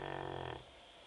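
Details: Labrador named Teco snoring while asleep: a half-second buzzy, fluttering snore with rapid pulses that cuts off abruptly, followed by quiet room tone.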